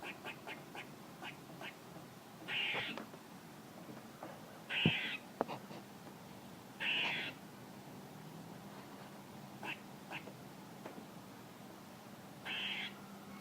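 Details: Squirrel calls: brief, rasping, nasal bursts spaced irregularly a few seconds apart, mixed with scattered sharp clicks and one loud tap, over a steady low hum.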